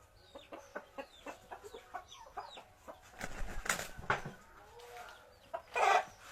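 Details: Village fighting cocks give a string of short, evenly spaced clucks about three per second, then a burst of louder, harsher calls with rustling and scuffling behind them.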